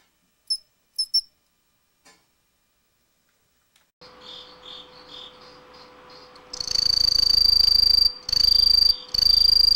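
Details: Green tree cricket (Aomatsumushi) singing a loud, steady, high-pitched trill that starts abruptly and runs continuously, with two short breaks. It follows a few seconds of quiet, sparse, brief chirps.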